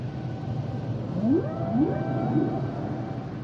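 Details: Brief humpback whale song fragment of three upsweeping moans that bend into level tones, over dense low rumbling ocean noise.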